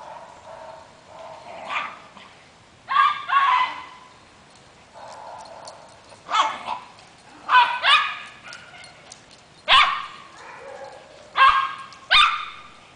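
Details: Female Maltese in a yard chasing a Boston terrier. She gives monkey-like vocal bursts, each a wavering yelp that sweeps upward, repeated about every one to two seconds, with short quiet gaps between them.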